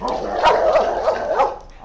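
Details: German Shepherd barking aggressively at other dogs: loud, dense run of harsh barks merging together with little pause, strongest around the middle and ending in a softer tail.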